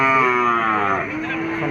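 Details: Cattle at a busy cattle market, one drawn-out, steady low moo lasting over a second, then dropping slightly and continuing, with crowd chatter and market bustle behind it.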